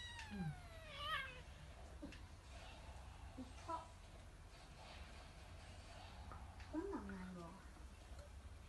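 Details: A kitten getting revenge on the sleeping house cat Hideyoshi indoors: an early high meow falling in pitch, a short wavering cry, then a lower descending meow later, over room hiss and soft Japanese speech.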